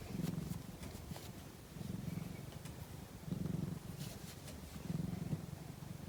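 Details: Low, throaty purring from a dozing cat, rhythmic swells of rumble about every one and a half seconds alternating with quieter stretches between breaths.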